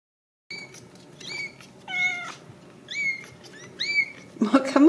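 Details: Ragdoll kittens raised in a home cattery in central Kansas, uncaged; a series of short, high, rising-then-falling meows repeated about every half second, with a human voice and rustling at the end.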